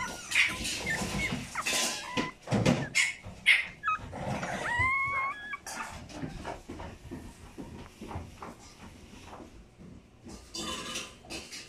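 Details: A Chihuahua puppy born 10 October 2019 gives thin, high whimpers and squeaks among soft knocks and rustling.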